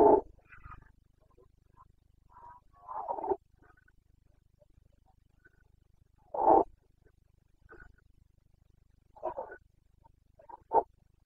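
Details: Carpathian red deer stag in the Bucovina rut, 29 September 2022, giving scattered hoarse roars and shorter grunts of varying loudness, some distant and faint, separated by several seconds of near silence.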